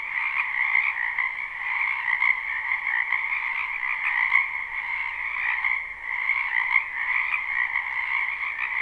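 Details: Spring wetland frogs in full chorus, live recording: countless croaks blend into an unbroken, buzzy wall of sound with a higher and a lower band, swelling and dipping briefly around the middle.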